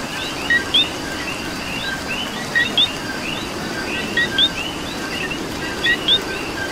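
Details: Coqui calling in rain in Puerto Rico: four crisp co-kee pairs, each a brief lower tone followed by a bright higher upslurred note, spaced under two seconds apart amid a dense background of other frogs and rain.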